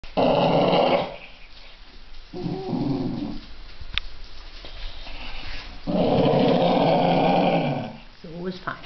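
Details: Two Basenji brothers, big brother and little brother, play with a lamb toy, giving drawn-out, harmonic growling howls in long bursts, with a person speaking briefly.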